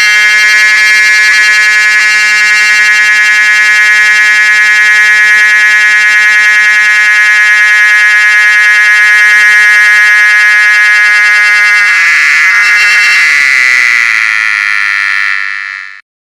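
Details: A cicada in summer in Mon, Nagaland, gives a loud, steady, buzzing whine that shifts into a harsher rasp before cutting off.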